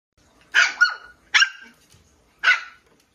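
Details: Toy Poodle named Chie at play, barking at a Tamiya Lunch Box radio-controlled off-road car: three sharp, bright barks, the first doubled, spaced about a second apart against a quiet background.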